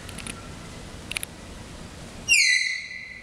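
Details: Tapir at the zoo in Antwerp, Belgium, in October 2011, late on a cloudy day: after soft clicks and ticks, a loud, high, whistle-like squeal starts abruptly, falls slightly and holds about a second, with bright stacked overtones.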